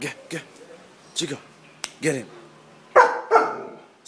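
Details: Two young male dogs, a 15-month-old German Shepherd and a 9-month-old pit bull, play fighting. Short, sharp, scattered barks come in irregular bursts, with a man's voice repeatedly urging them on in between.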